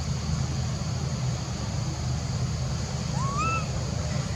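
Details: One short rising-then-falling tonal call from a monkey late in the clip, its harmonic faintly visible, set against continuous low-pitched background rumble and a persistent high hum.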